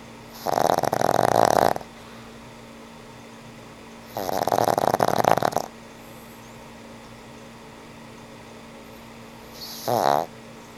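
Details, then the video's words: Old pug Frank N. Stein asleep and snoring, three rattling breaths spaced about four seconds apart, the last one short, over a steady low hum indoors. "Sweet old pug snores"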